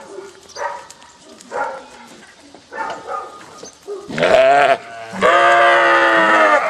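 Sheep answer a farmer's call with loud, wavering bleats that swell and hold for about a second.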